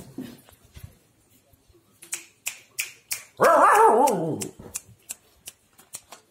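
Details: Female Siberian Husky puppy gives a loud, wavering howl-whine lasting about a second, rising and falling in a wobbly pattern, between sharp finger snaps before and after.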